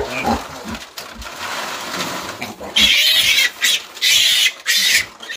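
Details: Baby piglets on a pig farm being caught with a basket; harsh, shrill squeals burst out from about three seconds in, in long noisy bouts, after scuffling sounds.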